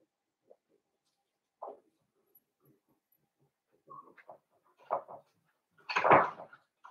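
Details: Blenheim Cavalier King Charles Spaniel puppies from a litter of five born at New Year, indoors in a puppy pen: sparse soft whimpers and squeaks, then a louder burst of yelping near the end amid quiet rustling.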